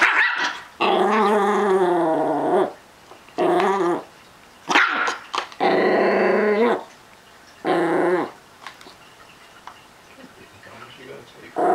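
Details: Possessive Chihuahua-Miniature Pinscher mix guarding his Snausages treats growls in sustained harmonic bursts of one to two seconds. The pitch wavers up and down, and the bursts repeat with brief pauses between them.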